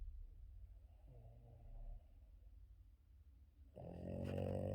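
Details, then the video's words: Boston Terrier dog snoring loudly in his morning sleep; a faint low snuffle early on, then a loud harsh rattling snore builds toward the end, over a steady low indoor hum. "Boston terrier dog Yoda loud snoring during his morning sleep"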